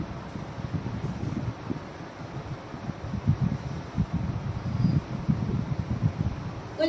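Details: Low muffled voices with wind-like rumble, no animal sounds.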